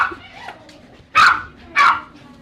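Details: Domestic dog barking loudly at a grooming salon in Tampa, two sharp, loud barks about half a second apart after a quieter stretch, with faint voices and room noise in the background.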